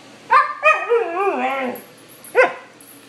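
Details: Pet dog in afternoon chats with its owner, answering with talk-like sounds: a yelp, then a long wavering, falling whine-howl with clear harmonics, then another short yelp.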